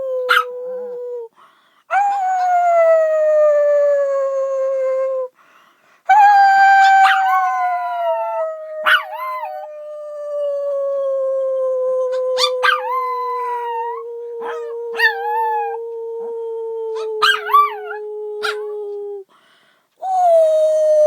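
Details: Drawn-out dog howls, each held for several seconds and gliding gradually lower. Quick yelps and warbling catches interrupt the long notes, and there are brief silences between howls.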